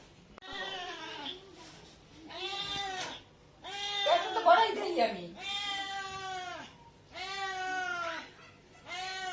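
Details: Hand-fed domestic cat indoors meowing again and again, each call a long wavering wail about every two seconds, while people chat and laugh nearby.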